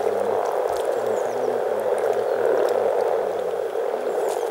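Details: Over 300 frogs calling together in spring at Teisko, Pirkanmaa, Finland: a dense, steady murmuring chorus with overlapping low, rolling croaks pulsing beneath, continuous throughout with no other voices.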